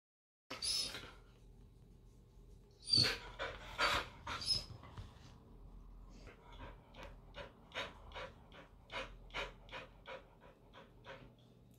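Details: English Springer Spaniel, a liver and white male stud dog born in 2019, panting in quick breathy bursts indoors, roughly once a second, after a few louder bursts of handling noise near the start.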